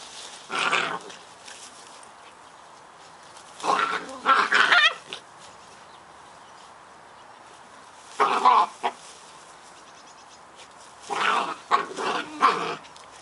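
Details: Scottish Terrier puppies, Bonnie and Basil, playing together; four short bursts of rough, throaty barks and growls at roughly three-second gaps, separated by quiet pauses.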